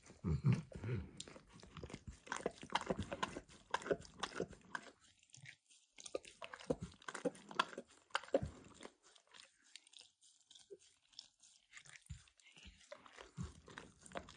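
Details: A dog called Emperor Max working over a bumpy orange mat with eggs and diluted peanut oil, seeming to enjoy it; dense crackly licking and smacking, then pauses of near silence, resuming in scattered wet clicks.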